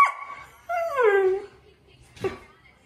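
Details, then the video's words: Greyhound named Rosie, kept as a pet, whining for attention: a brief high cry followed by a longer, sliding whine that drops steadily in pitch, then a short sharp yelp-like note; quiet room otherwise. "Greyhound Wanting Attention"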